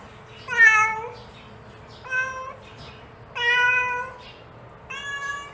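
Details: A mother cat calls her kittens, giving four meows of varying length: a loud bending first call, a short second, a long steady third and a fainter final one, spaced over five seconds.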